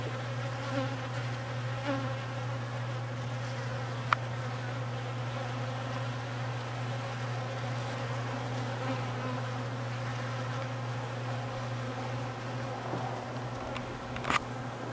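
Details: Massed honey bee buzzing as newly graduated foragers take orientation flights and workers clean cappings; a continuous low drone with stacked harmonics, a few brief sharper buzzes passing by, and a sharp click near the middle.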